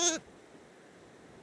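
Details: A hair-sheep lamb (Dorper × Katahdin cross) on a North Carolina mountain farm in cold, icy weather gives one short, bright, harmonic bleat off screen, waking her napping twin sister. Near silence follows.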